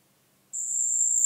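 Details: A single high, steady trill from a marsh cricket starts abruptly after half a second of silence, recorded in Puntigam, Austria, on 4 June 2022.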